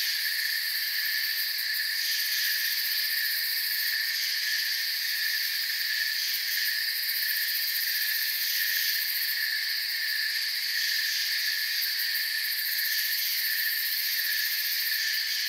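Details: Crickets chirp in a forest setting, forming a thick, sustained, high-pitched chorus with subtle waves of rising and falling intensity.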